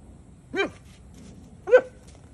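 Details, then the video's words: Doberman Pinscher puppy named Sasha trying to get Luna the mini donkey to play; two short, sharp high yips about a second apart, the second louder, with quiet outdoor background. "Puppy wants Donkey to play"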